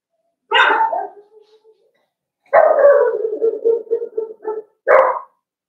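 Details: Cavalier King Charles Spaniel puppies Cooper, Conner and Jenny, born June 2022, Ruby and Blenheim coats, overnight indoors. Three yelping howls: a first sliding cry, a long wavering howl breaking into pulses, then a short sharp bark in a quiet room.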